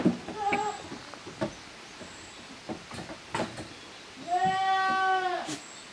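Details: Goat kids of Koharu and Okayu romping as two teams in the exercise yard of Yoshigake's handmade goat farm, 13 June 2023; scattered hoof knocks and clatter, then one clear, drawn-out quavering bleat near the end.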